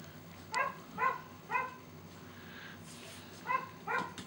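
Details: Samoyed puppies from the Snowstar Black Paw x Dolly litter, born December 25, 2013, giving high, clear yips: three in a quick half-second series, a pause, then two more, over faint room noise.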